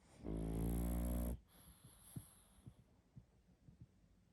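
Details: One long, loud, gravelly snore from a sleeping pug lasting about a second, followed by quiet, ticking, shallow breaths.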